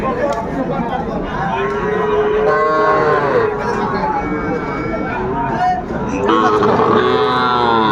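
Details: Sahiwal bull calves at a busy cattle market on 10 February 2025, bought by a Comilla farmer; a run of repeated lowing calls, some long and wavering, over steady talk from buyers and sellers.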